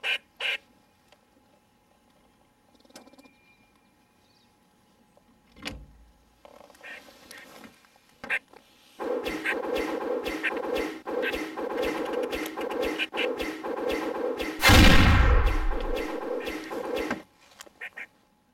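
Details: White Patch, a wild gray squirrel at a window feeder, scolds because the feeder is empty: bursts of rapid, harsh, evenly repeated chattering pulses, with a swooping added sound effect near the end and a short music sting at the start.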